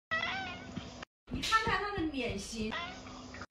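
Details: Pet cat indoors at six in the morning, giving a drawn, tonal meow, then further wavering meows mixed with a person's talking in a small room.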